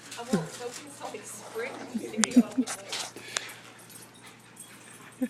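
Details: Dogs at play during a chase, giving low grumbling growls and brief yelps in a cluster near the start, with sharp clicks, quieter stretches and human voices in the background.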